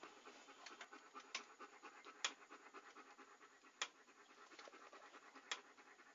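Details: Fast, even panting of a dog heard close, airy rasping breaths repeating several times a second, with crisp clicking accents every second or two; nothing else audible.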